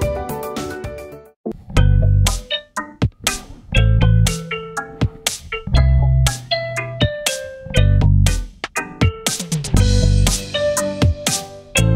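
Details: Loud plucked guitar music with bass and a punchy beat plays throughout, with no animal voice.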